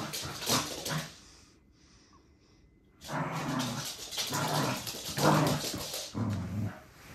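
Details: Dio the Corgi, a pet dog, gives short throaty growling barks: a quick pair of bursts, a pause of about a second and a half, then a steady run of five rough, low-pitched bursts spaced under a second apart.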